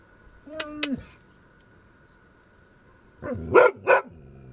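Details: Panu, a dog, barks at a marten hiding nearby that must go. A drawn-out steady whine comes near one second, then a tight burst of three harsh barks around three and a half seconds, over a faint steady background tone.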